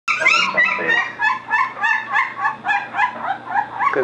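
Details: Three 13-day-old Belgian Shepherd puppies with eyes just open, chirping: rapid, overlapping squeaky yelps repeated about three times a second, harmonic and bright, with a steady low hum beneath.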